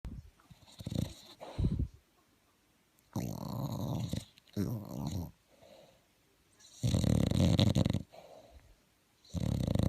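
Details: Sleeping bulldog snoring in loud, rough, low rumbling bursts of one to two seconds, separated by quiet pauses and softer breaths between them.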